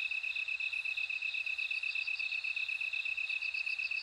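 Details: A bell cricket gives rapid, evenly spaced, tinkling high pulses against a continuous whining insect tone.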